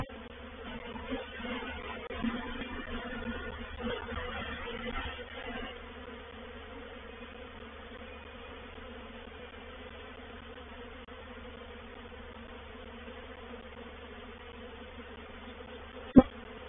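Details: Swarming honey bees settling into a bait hive at Painted Peacock Manor on 04/07/21; a rougher, fluctuating buzz for the first six seconds eases into a softer steady drone, with a sudden click near the end.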